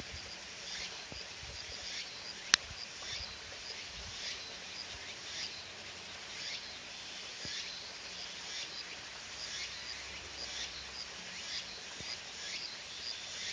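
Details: Walker's cicada (tsukutsuku-boshi) singing on a summer day: rapid, harsh, rhythmic pulses repeated about twice a second, shrill and high-pitched, with one sharp click and a steady hiss beneath.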